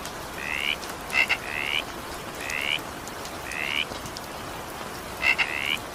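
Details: In steady evening rainfall, a frog gives short rising two-toned calls, occasionally introduced by sharp double clicks, about five calls in six seconds over continuous rain noise.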